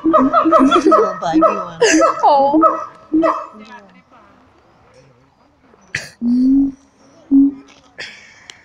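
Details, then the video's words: Siamangs at Taronga Western Plains Zoo calling wildly. An opening of dense, quavering, barking hoots overlaps for three seconds, then quiets to a few isolated low booms and sharp barks. "The Siamang Ape's at Taronga Western Plains zoo going bananas"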